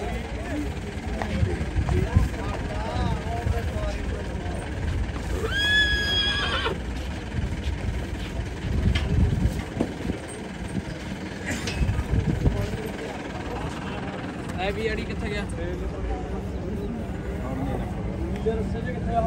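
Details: Horse at the crowded Jagraon horse market in Punjab, 2023: one brief, high, shaking whinny with a falling pitch rises midway through, over steady crowd chatter, voices and general market din.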